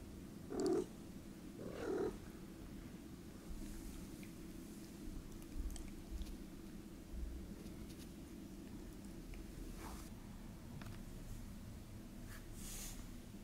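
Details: Two Norwegian Forest Cats from Hungary, living indoors in Switzerland, at evening nap time: a steady low rumbling purr runs throughout, with two brief louder breathy bursts early on and faint soft rustles later.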